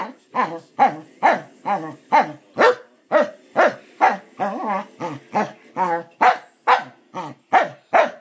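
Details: A corgi gives a long string of rapid, yodeling woo-woo yowls, about two each second, as if asking "how?"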